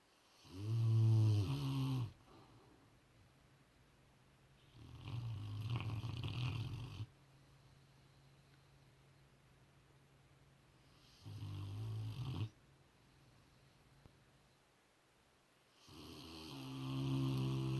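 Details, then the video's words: Rottweiler dog asleep, snoring loudly indoors; deep rumbling harmonic snores last one to two seconds each, separated by quieter breathing gaps of several seconds, four snores heard. "Rottweiler snoring"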